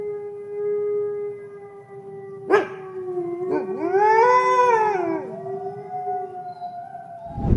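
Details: Red wolf from the southeastern United States: a long, steady howl held on one pitch, then a higher voice rises and falls in an arched howl over it. A sharp noise ends the recording.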